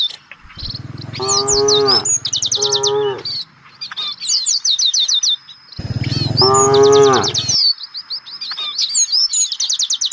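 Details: Several low moos come from village cattle roaming as a herd in search of fresh grass: two close calls early, then one longer bellow near the middle, with rapid repeated bird trills and chirps filling the gaps.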